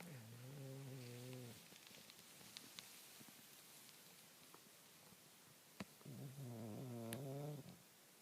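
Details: A bulldog asleep under the shirts in a closet snores: two long, low, rasping breaths with a droning rattle, one at the start and one near the end, separated by quiet with faint clicks and rustles.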